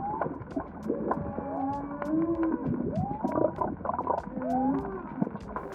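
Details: Humpback whale song during the migration near Baja Mexico's southern cape: drawn-out moaning tones that swoop up and down, overlapping in slow phrases.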